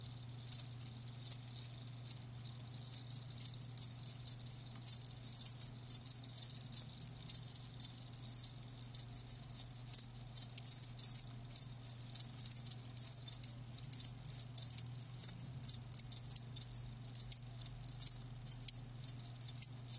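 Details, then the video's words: Live crickets giving sharp, high chirps in quick bursts, many short pulses tumbling irregularly over a steady low electrical hum. "Live Crickets 60min "Natural Sound" ASMR"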